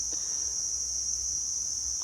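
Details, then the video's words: In mountains of Chumphon province, Southern Thailand, loud insects surround a temple by a gorge: one continuous shrill buzzing tone, constant in pitch and volume for the whole two seconds, with a low rumble of background noise. "En el corazón de estas montañas hay un templo rodeado de insectos muy ruidosos."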